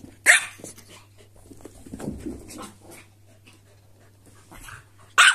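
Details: Indoors, a corgi and a silky terrier squabble over toys: one sharp bark opens, followed by soft growling and rustling scuffles, and another abrupt bark closes over a low background hum.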